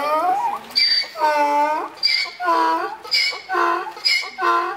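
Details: Donkey at Kharkiv Zoo, said to be bored and missing someone, braying in a harsh, harmonic seesaw of alternating high and low phrases, each lasting roughly a second, repeated about five times without pause.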